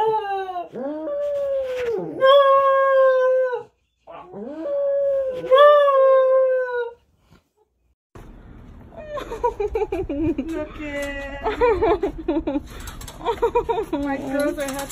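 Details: Husky pet dog giving two drawn-out howls that rise sharply, then waver and fall away, with a brief pause between them. A noisier stretch follows with choppy, yelping vocal bursts over background clatter.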